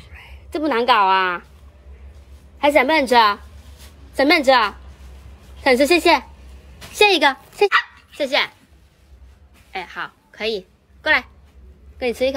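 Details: Poodle or Bichon Frise dog barking in bursts, drawn-out harmonic yaps and shorter sharp barks spaced a second or two apart, loud and close, with a low hum underneath.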